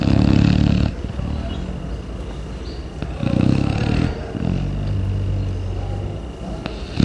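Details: Sleeping Chow Chow dog, deep in morning sleep, snoring heavily: a loud rumbling snore, then a longer drawn-out rasping one after a short pause, low and throaty like a human's.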